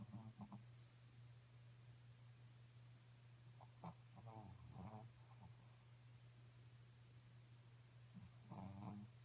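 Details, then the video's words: A sleeping Pekingese snores in uneven bursts of raspy, nasal breaths, some grouped in quick runs and others spaced by pauses, with a louder snuffling cluster near the end and a constant low electrical hum behind. "Pekingese snores （ペキニーズのいびき）"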